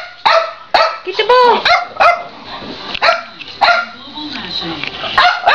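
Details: Three dogs, a Boxer, a Boston terrier and a French bulldog, chase each other in a game of tag, letting out abrupt, high, ringing barks a few times per second, with a person speaking in between.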